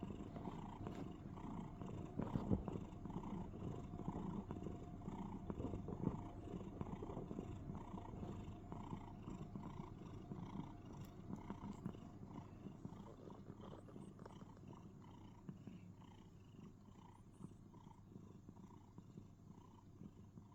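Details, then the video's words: Domestic cat cuddling in a box, making what is described as cricket sounds: a steady low rumbling purr with a series of soft chirping pulses repeating several times a second, quiet and close, fading slightly toward the end. "Cuddles And Makes Cricket Sounds (In A Box)"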